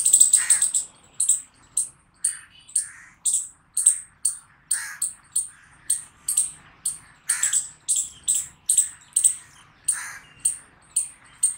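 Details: A chipmunk chirps over and over, bright piercing chips spaced about half a second apart in a steady rhythm, over twenty notes with slight hoarse lower tones.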